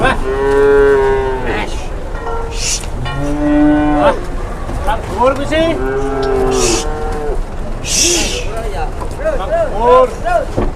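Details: Cattle loaded onto a truck at an Indonesian market; several overlapping moos of varied pitch follow one another, some short and bending, amid people's voices and clanks.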